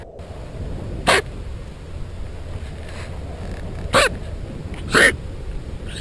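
A quokka gives three short, harsh, sneeze-like huffs over a steady low rumble.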